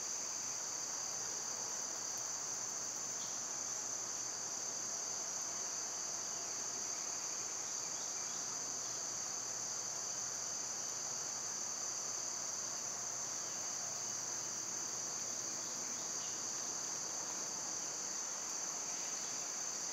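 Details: Twenty seconds of cicadas in summer, a dense, level, high-pitched drone with no pause and only faint scattered ticks beneath.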